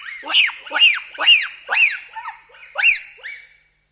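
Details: Bonobo (pygmy chimpanzee) giving individual screams in Wamba Forest, Equateur Region, Zaire: loud arched calls that rise and fall in pitch, about seven in quick succession roughly every half second, with bright harmonics and no background noise.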